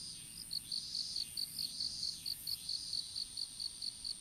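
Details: High insect chirps recorded in an open-air strawberry field during seedling planting, phone lying on the ground; evenly spaced short pulses, roughly four or five per second, over faint background hiss.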